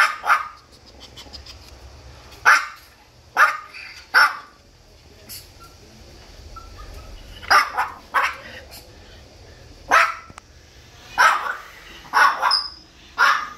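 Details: Maltipoo dog at a veterinary clinic giving short, sharp barks, some single and some in quick pairs or triplets, about a dozen across the stretch, with quiet gaps and faint human voices between bursts.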